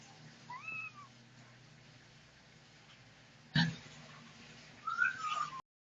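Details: Setty, a domestic cat, gives a short two-note meow early on, then, after a sharp thump, a falling meow near the end, in an otherwise quiet indoor room.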